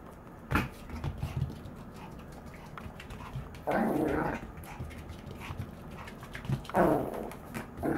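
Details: Maltese growling as it runs around; three gruff growl bursts a few seconds apart over a quiet room with light footfalls.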